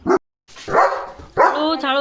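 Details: German Shepherd dog at home in a courtyard, described as 'talking', gives two drawn-out vocal bursts, the second ending in a high, tonal, whining rise, while people speak Marathi close by.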